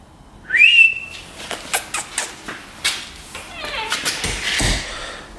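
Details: Fairy, a stray cat that may be pregnant, kept in a garage and visiting a home where the resident cat Ellie is scared of her, gives one short rising meow, followed by clicks, thumps and handling noises.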